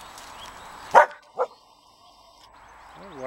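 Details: Two short, sharp barks about half a second apart from a Laika on guard duty in a village, with the dogs Sobol and Laima watching as sparrows fly about, 30 April 2017; quiet background follows.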